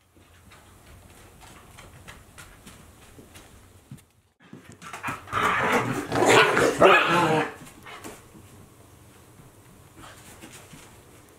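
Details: Two Akita Inu, Aala at 14 months and Olavi at 2 months, playing together indoors; quiet scuffling and panting, then a loud burst of rough growling and yapping around the middle before settling back to soft rustling.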